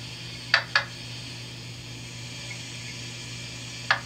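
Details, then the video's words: Mink frog calling in Northern Ontario, heard from late July into early August: two sharp, wooden knocks in quick succession, then a single knock after a three-second pause, over a steady low hum. "throughout most of Northern Ontario you can hear the sound of the mink frog from Late July into early August"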